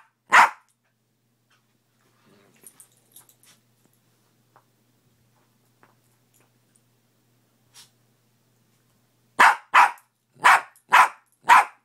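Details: Morning barking from Fenway, a dog: one sharp bark, then several quiet seconds with faint clicks and knocks, then a quick run of five loud, evenly spaced barks.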